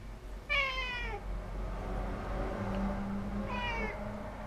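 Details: Domestic cat giving two clear meows, the first longer and falling in pitch, the second shorter about three seconds later, over a steady low indoor hum.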